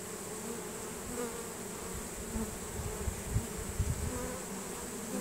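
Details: Honey bee swarm marching into a newly chosen hive after smelling it, Nasanov pheromone released; a constant buzzing drone with brief louder pulses of individual bees passing close.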